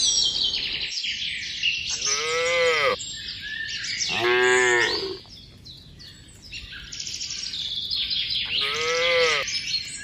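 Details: Cattle from a tame herd heading along a mining road to a green village give three deep, arching moos roughly every two to three seconds, with a constant shrill background hiss between the calls.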